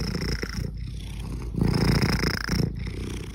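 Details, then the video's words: A domestic cat purrs, a low, steady rumble that swells and fades with each breath; purring signals contentment but also self-soothing in stress, pain or uncertainty. "The purr is one of the most comforting sounds a cat can make."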